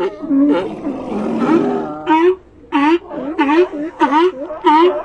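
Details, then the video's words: Sea lions calling in an ambient scene, a rough, bellowing outburst opening into clear, wavering barks repeated roughly twice a second, each with rich stacked overtones. "Ambient Sea Lions"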